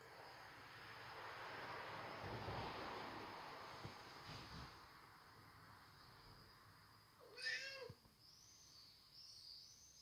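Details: Hungry cat talking: after several seconds of low background noise, a single short, bent meow rises and falls, with a steady high insect-like whine throughout.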